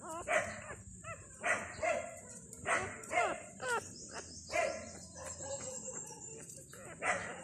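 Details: Thai dog puppies two days old, five newborns with their mother, squealing in short repeated bursts about every second; high whines with a steady high electrical hiss behind.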